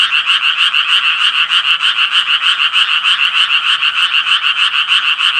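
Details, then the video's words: Rapid, rasping croaks of the Japanese tree frog, repeated roughly three times a second in an even, continuous train; the sound is loud and steady, with nothing else clearly audible. "청개구리 울음소리"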